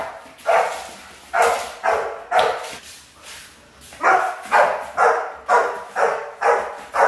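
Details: Rottweiler puppies in a guard-work training routine bark loudly and rhythmically, about two barks a second, in two bursts with a short pause between them.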